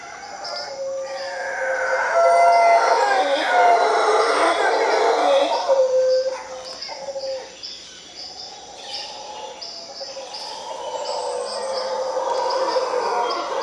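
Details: Howler monkeys in Costa Rica, a tree full of them: loud, rough, droning roars for the first six seconds, then fading and swelling again more softly, with steady pulsing high insect buzz and scattered bird chirps behind.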